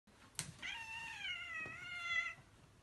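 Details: Angry house cat meowing indoors, demanding its Zaku toy back; one drawn-out complaining meow lasting nearly two seconds, steady then slightly wavering, preceded by a brief click.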